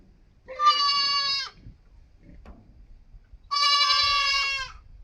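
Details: A goat kid gives two strong, drawn-out, high-pitched bleats, the second longer and slightly wavering at its end, with a brief soft click between them.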